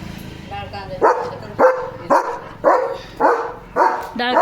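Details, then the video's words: German Shepherd barking loudly in the evening, a steady run of seven deep, harsh barks about every half second, each a short burst with a ringing tail, over faint background noise. "The German Shepherd Goes CRAZY Barking!"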